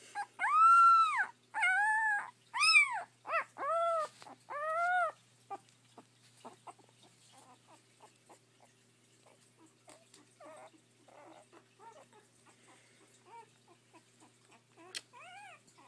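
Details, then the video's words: Pet puppies at home, one howling and another grunting: several short arched howling notes at the start, then quieter scattered grunts and soft whimpers, with a brief high whine near the end. "Whinie howling and buddy grunting"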